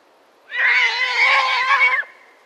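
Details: Konik, a wild horse breed, giving a loud sustained neigh lasting about one and a half seconds, strongly harmonic and slightly wavering, starting and ending abruptly against a quiet background.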